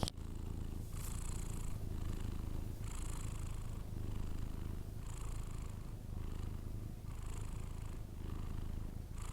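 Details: A Persian cat snores in its sleep: a constant low rumble with even, breathy hiss bursts about every two seconds.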